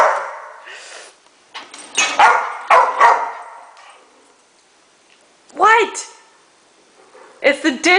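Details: Male Rottweiler Escobar barking at the top rack of a dishwasher during unloading; a woman talks over early barks, then two separate bouts of throaty, whining barks come after a quiet pause.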